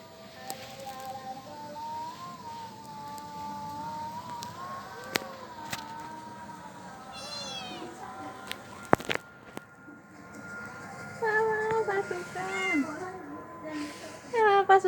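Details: Domestic village cats and kittens meowing; several thin harmonic meows rise and fall over a steady background hum, with a few sharp clicks and a cluster of high whistled tones near the end.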